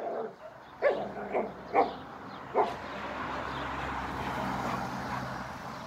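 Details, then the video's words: German Shepherd dog heard giving four short, sharp barks spaced about half a second apart in the first three seconds, followed by steady background noise without further barking. "German shepherd dog"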